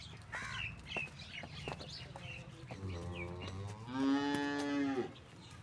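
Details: In Pakistan, a Cholistani Friesian cross cow gives one steady, even moo lasting about a second, held at a constant pitch. Brief chirpy sounds and a low rumble come before it.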